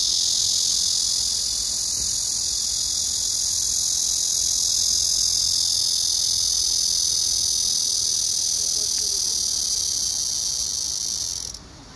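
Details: Black cicada song from 31 August 2024, an intense, even, high buzzing drone sustained for about eleven seconds before cutting off abruptly.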